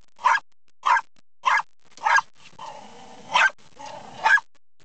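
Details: Dog that loves trucks barks at moving windshield wipers: four evenly spaced sharp barks, then a whining, whimpering stretch broken by two more barks.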